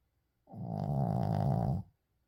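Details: A single deep snore from Uijung, a sleeping Shih Tzu, rising quickly into a steady, rattling low drone that lasts about 1.4 seconds before fading out, with no other sounds.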